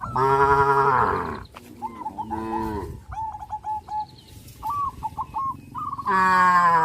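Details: Loud, sustained moos from tame cows running and jumping for joy in the fields, one opening and another closing, with a shorter moo between and strings of quick, high bird-like chirps in the gaps.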